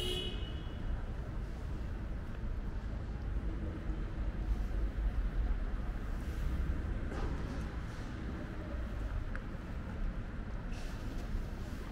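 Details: Low outdoor traffic rumble in an urban street, with a brief car horn at the start and no animal sounds.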